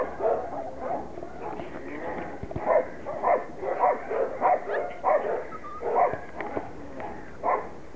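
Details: Border Collie puppies, six weeks old, at play during their first time out in the garden, give bursts of shrill yapping barks in uneven clusters, with faint whines and a few soft background voices between the pulses.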